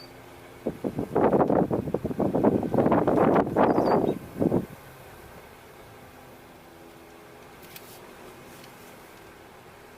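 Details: A four-second burst of mechanical rattling and rumbling, like a passing vehicle, fades into a steady low background hum with no animal calls.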